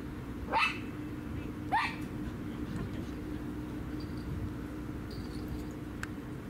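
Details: Two short, sharp barks about a second apart ring out at a dog park on 16 February 2019, recorded on an Insta360; afterwards only a low steady hum and faint distant sounds.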